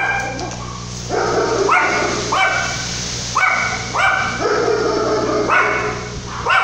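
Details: Yorkshire Terrier puppy barking during Tropical Storm Lidia in 2017 in La Paz, Baja California Sur, Mexico: a run of about nine sharp, high, slightly whiny barks at irregular intervals under a steady low hum and background storm noise.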